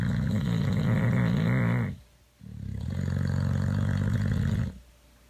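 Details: Boxer dog asleep and snoring: two long, rasping, low-pitched snores of about two seconds each, separated by a short silent breath, with no other sounds.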